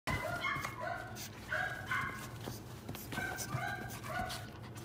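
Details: Cream-coloured female Pekingese puppy, born 9 October 2020: thin, high whining cries that slide and waver, repeated about once a second over a steady low hum.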